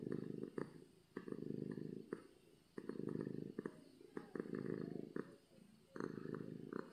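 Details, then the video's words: Domestic cat purring from happiness: loud, low vibrating rumbles rising and falling with breathing, about two breaths every three seconds, with soft clicks at each turn of breath. "Cat Purring from Happiness"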